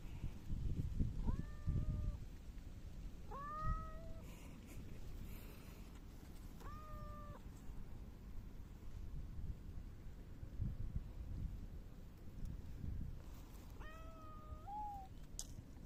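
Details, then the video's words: Mackerel tabby house cat rubbing against someone, recorded 12 August 2024, meowing four times: short harmonic meows that rise and then hold steady, spaced two to seven seconds apart, the last with a brief upturned tail, over low-pitched background noise. "サバトラ 今日のスリスリと鳴き声"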